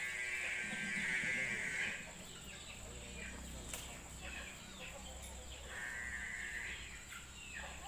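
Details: Ongole calf calling with two drawn-out, bleat-like harmonic cries, each about one to two seconds long, over a busy background of chirping birds and a steady high whine.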